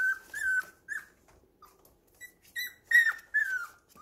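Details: Young puppies playing together indoors at home give short, high, whistle-like whines in uneven bursts, some gliding down in pitch, with brief silent gaps between.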